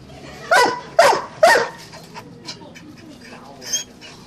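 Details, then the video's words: A Doberman barking: three loud, sharp barks about half a second apart, followed by softer, fainter yelps and a short high squeak near the end over a quiet background. "Doberman Barking"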